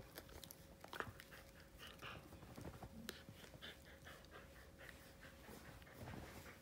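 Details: Pet Siberian Husky Bunta at home indoors, breathing in a run of rapid airy pants, with a faint steady hum and occasional soft knocks in the room.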